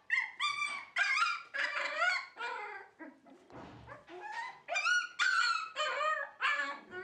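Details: Vocal dog giving loud, drawn-out howling whines and yodelling calls in quick succession, each wavering up and down, with a short low rumbling pause midway before the calls resume.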